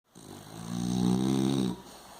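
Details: French Bulldog named Tufão snoring: one long, rough, rumbling snore of about a second and a half, low and buzzy with a pulsing texture, swelling and then cutting off, followed by quiet breathing.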